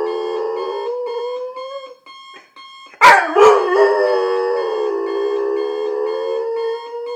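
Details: Morning alarm clock set off Adenine, a male German Shorthaired Pointer about two years old. Long, sustained, slightly wavering howl after a brief sharp bark, with the electronic alarm beeping steadily underneath.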